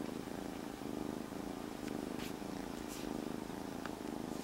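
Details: Kitten rescued from the street three days before, resting calmly in a jacket, purring loudly: a fast pulsing rumble of about one beat per second in swelling waves, with light cloth rustles on top.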